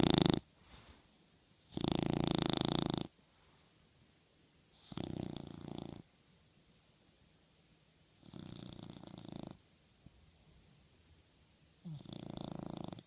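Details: Sleeping on a pillow and dreaming, the toy dog Raida snores steadily: five rough, buzzy breaths of varying loudness, each about a second long, recurring every three seconds or so in a quiet room.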